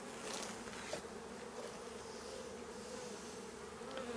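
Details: Bees of a drone-laying colony shaken out near the apiary. A faint, steady mass hum of many bees runs throughout, even and unbroken, with a light hiss behind it.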